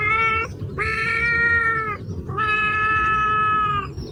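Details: Domestic cat meowing: three drawn-out, harmonic meows, the first short, the second and third long and level, with steady tone throughout and faint low background rumble.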